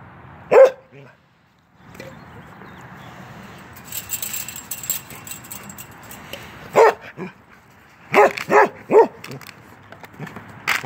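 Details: Playful male Norwegian Elkhound, ten months old, called Keweenaw, at a fence; a single sharp bark opens, a long quiet stretch with background rustle follows, then a cluster of four quick barks near the end.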